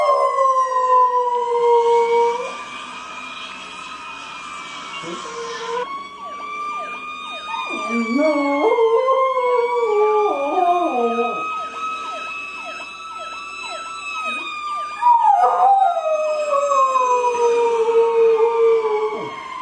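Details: Fire engine sirens wail as a pet dog, newly interested after six years, joins in with wobbling, stepped howls that rise and fall mid-recording, set against loud overlapping rising-and-falling siren sweeps.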